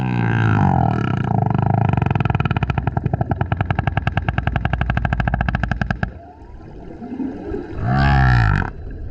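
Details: Loud song from a male humpback whale coming up next to a kayak: a sustained low rattling, pulsed grunt for six seconds, a brief quiet gap, then a deep swelling moan.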